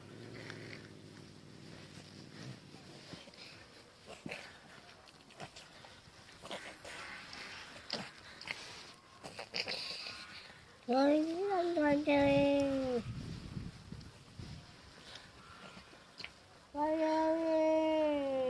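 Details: Domestic cats in a daily fight, an orange cat mostly posturing; soft scuffling and rustling, then two loud drawn-out wavering yowls, one near the middle and one at the end.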